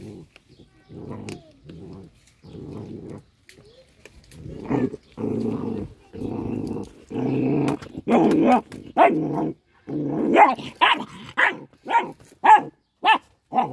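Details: A little dog eating fish gives a run of low, rasping growls, each lasting about a second, which turn into quicker, sharper snarling barks repeated roughly every half second toward the end.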